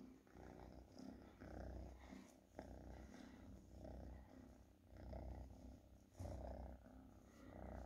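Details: Continuous deep purr from a pet cat, pulsing gently with its breathing, plus a couple of sharp taps or rustles.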